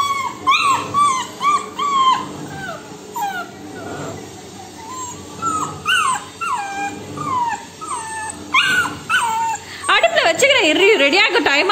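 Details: Labrador Retriever puppy, female, demanding food from her owner: a steady series of short high whines sliding down in pitch, spaced about half a second to a second apart, ending in a burst of louder yelping howls.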